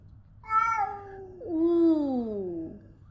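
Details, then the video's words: Domestic cat indoors giving two meows: a short bright call at about half a second, then a longer, lower, harmonic meow that slides gradually downward and fades, with a faint low hum beneath. "The real sounds of our Cats"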